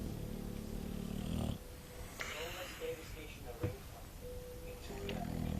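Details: English bulldog Sofia asleep, snoring: low rasping, rumbling snores fill the opening second and a half, give way to a quieter stretch with faint tonal and breathy sounds, then return near the end.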